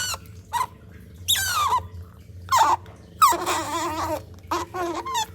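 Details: Baby otter drinking a cat's milk and making loud noises: sharp descending squeals and wavering whiny squeaks in irregular bursts, separated by short quiet gaps, indoors with a faint low hum.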